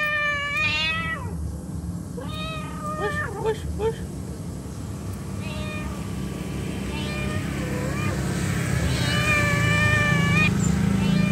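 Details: A mother cat calls her kittens with a few wavering meows, loud at first and fainter later, while a low rumble of background noise grows steadily louder.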